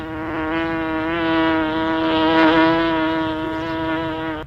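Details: Continuous bee drone, low and steady with rich layered overtones, briefly louder in the middle as if passing nearer, then cutting off abruptly; nothing else audible.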